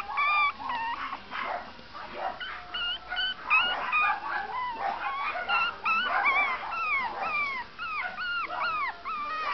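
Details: A long-coated Chihuahua gives a quick run of high, thin whines and yips, each one bending up and down.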